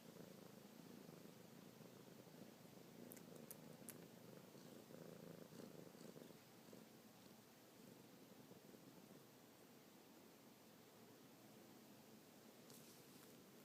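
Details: Kitten Luna, a pet domestic cat, suckles on fingertips with paws moving while purring constantly; continuous low rumbling purr with fast even pulsing, slightly louder in the middle, a few faint clicks near the start and end.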